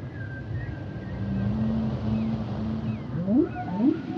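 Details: Humpback whale singing: a long, level, low moan holds for seconds, then two quick rising swoops follow, while faint higher wavering tones drift above a rumbling underwater background.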